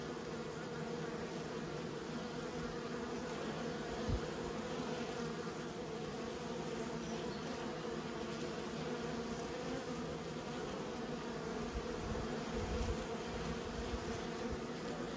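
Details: Managed honey bees producing a long unbroken hum, dense buzzing steady in pitch and loudness, a few light knocks near the middle and end.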